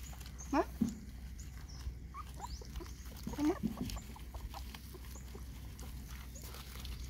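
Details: Puppies being fed give two short, sharp rising yelps close together, followed after a pause by a second similar pair, with quiet rustling and soft background voices between the calls.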